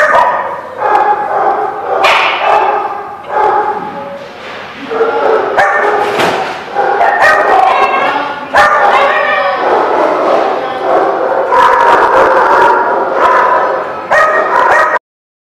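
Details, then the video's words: Dogs at a dog lot keep up a steady chorus of overlapping yips, barks and drawn-out whining cries, dense and continuous throughout with a few sharp louder barks standing out. "The Barking Lot"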